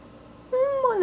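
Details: Kitten named Azuki, a cat once abandoned at a workplace and taken in by a family, meows indoors because it wants to climb onto the refrigerator. A single clear half-second meow, steady at first, then bending downward at the end.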